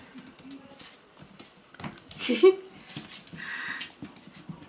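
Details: Male Pomsky puppies, five weeks old, sired by Dash out of Winter, give a short high whimper near the middle, a brief tonal squeak over faint rustling, while someone speaks nearby in a small room.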